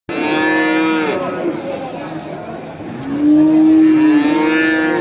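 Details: Farm cattle mooing while a farmer herds a large herd back to the barn in a village; two long, loud harmonic moos, one at the start and a stronger steady one from about three seconds, with overlapping herd calls between.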